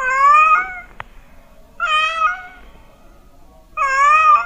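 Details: Three long, steady meows from a cat, a call claimed to make mice flee. The calls are evenly pitched and rich in overtones. A brief click comes after the first one, and there are quiet pauses between calls.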